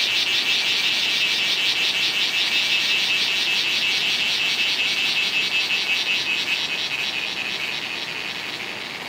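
A cicada calls with a steady, shrill buzz, pulsing rapidly and evenly throughout. The sound stays strong and unbroken, easing only slightly toward the end.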